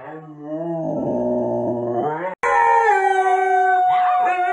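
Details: Siberian Husky in a compilation of funny pet clips, giving a sustained tonal howl in two long held stretches with a break, the pitch steady and then stepping up, with rich harmonics and a brief warble near the end.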